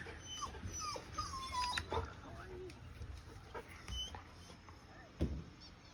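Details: Golden Retriever Chobi, a young dog at home on a rainy day, looking for a friend; thin high whimpering whines slide downward several times, while people talk softly nearby.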